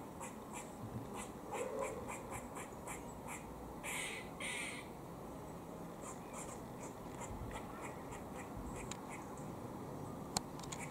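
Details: Warning calls of a squirrel feeding in Cambridge, UK, 17 October 2020: rapid trains of brief harsh clicking barks, several longer rasping bursts around the middle, then more quick clicks, against a constant low rumble.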